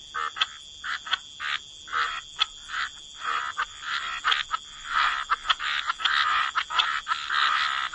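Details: Frogs croaking by the waterside in a relaxing wetland chorus: overlapping short raspy notes around mid pitch, bursts every half second or so, with a steady high whine in the background.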